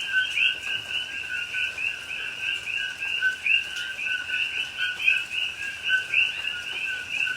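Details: Pahoa, Hawaii rainforest at night in rain, October 2021: a coqui frog chorus of clear upslurred whistles paired with lower steady notes, about three to four calls per second overall, overlapping and unbroken, soft rain hiss behind.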